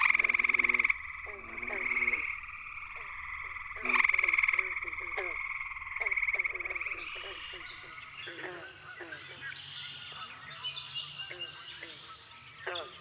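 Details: Nighttime frog chorus at Cool Pond, West Virginia, where gray treefrogs dominate this season. Two loud pulsed trills from a nearby male stand out over the chorus, followed by a busy stretch of scattered clicks and chirps.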